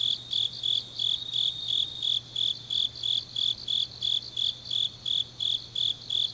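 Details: Autumn night insect chorus from Changnyeong, Korea: steady high-pitched chirps pulsing roughly three times per second in an even rhythm, layered shimmering trill above, a soft constant low hum in the background.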